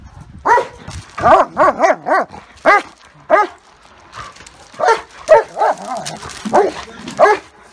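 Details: German Shepherd and Great Dane fighting: rapid volleys of loud arched barks, several per second in bursts, broken by a brief pause before a second flurry.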